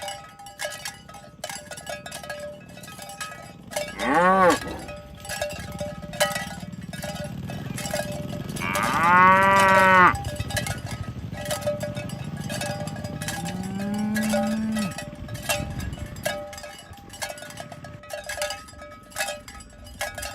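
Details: Village cattle herded in the morning toward the pen along a rural road: a short low moo near four seconds, a longer rising-falling moo around nine seconds and a softer third moo, over constant clanking cowbells.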